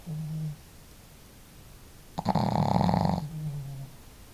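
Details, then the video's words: Sleeping pet dogs Marimo, a female, and Daigoro in a snoring duet at home; a soft low hum-like snore, then a loud, buzzy, rattling snore of about a second, followed by another faint low snore. "可愛いイビキ snore"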